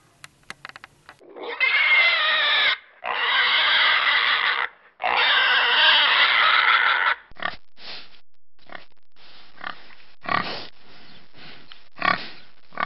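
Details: Pig letting out three long, loud, harsh squeals of one to two seconds each, followed by a run of shorter grunts and snorts spaced roughly a second apart.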